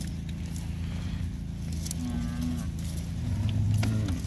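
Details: Beefmaster heifers at auction, a lot of forty at 225 kg; a short low moo near mid-clip, then a deeper, longer moo rising toward the end, over a constant low rumble of machinery.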